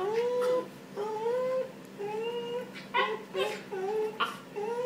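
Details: Three-month-old Pembroke Welsh corgi puppy that likes jumping and biting, giving a run of short, rising, nasal whines about once a second, each a thin tonal cry sliding upward, with a faint low hum indoors.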